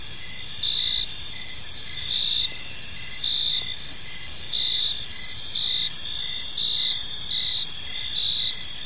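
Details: In a park at dusk, crickets keep up a continuous high-pitched chirping chorus, pulsing in uneven bursts, overlapping callers against a soft hiss.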